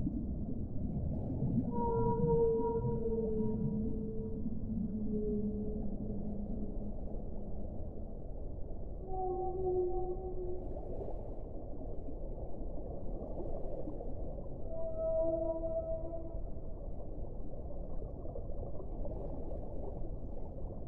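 A whale sings long, low moaning tones with higher drawn-out whistles over a constant deep rumble.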